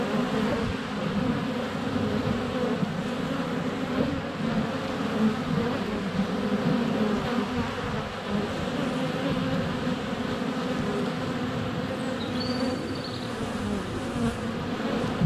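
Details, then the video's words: Honey bees in flight at their hive entrance during a sunny spell in February, recorded less than a foot away on a GoPro; thick low buzzing that never lets up, with a brief bird chirp near the end. "4K Honey Bees - ambient video and audio"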